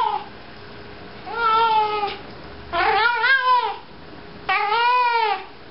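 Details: House cat carrying a sock as it walks about, giving three long, arched meows about a second and a half apart, each swelling and falling in pitch, quiet room between calls.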